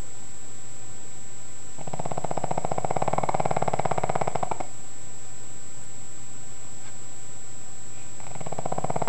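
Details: A sleeping pug's snore: a long, throaty, fluttering rattle of almost three seconds that swells in the middle, then a quiet pause before the next snore begins.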